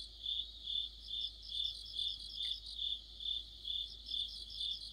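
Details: Crickets and fellow insects in an autumn chorus beside a streetlight. A bright repeated chirp pulses about twice per second, and softer, higher trills from other insects weave in between the beats.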